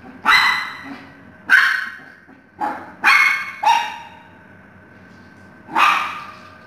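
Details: Maltese puppy playing with kids. Six short, sharp yipping barks with bright harmonics, spaced irregularly across the moment, with quiet gaps between them.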